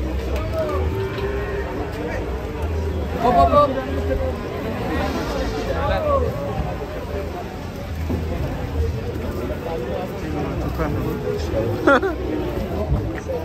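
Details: Sacrificial cow raging while coming down off a truck: several low, strained moos scattered through the clip amid people's voices and a constant low engine-like hum.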